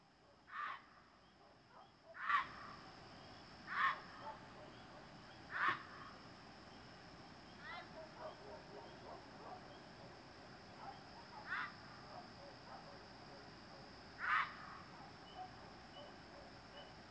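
A gray fox gives harsh, raspy yelps at irregular intervals to defend its territory.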